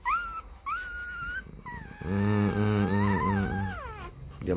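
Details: Four-day-old Rottweiler puppies from a litter sired by Vietnamese champion Loki Gervi out of Faye: two short high squeals rising and sliding upward, then a longer wavering whine that dips and falls, over a low droning, voice-like hum.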